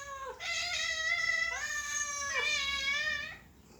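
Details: Cat in a happy mood meowing in long, drawn-out, nasal cries. Three connected meows each rise briefly and then hold steady, with a short dip between them. The last one trails off into quiet.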